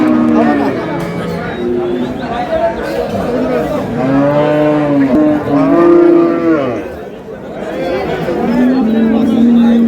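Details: Cows kept with their calves at Ambari Haat market in Dinajpur, April 24, 2026, give several arched, rising-then-falling moos in the middle seconds, one after another, over a steady murmur of bargaining voices.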